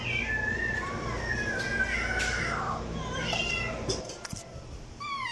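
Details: Cat meowing to attract cats: a long, wavering, whining meow that falls in pitch, followed by shorter meows, over constant low background rumble.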